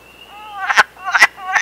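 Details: Wood frog in Canada gives three hoarse, clucking notes, each a brief rasp about half a second apart, as its breeding-season mating call, with a faint steady whistle-like tone underneath.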